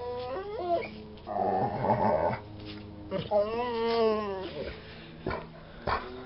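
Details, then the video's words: Jessy, a Bernese Mountain Dog bored at home, produces drawn-out vocal whines and a rough growly grumble, pitch sliding up and down, followed by sharp taps indoors. "Jessy (Bernese Mountain Dog) is bored with me"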